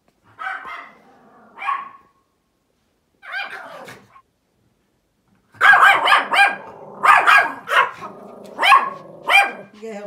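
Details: Small Pomeranian outdoors barking at a big dog; scattered single yaps early, then after a pause a rapid burst of high, sharp barks roughly every half second, with people talking nearby.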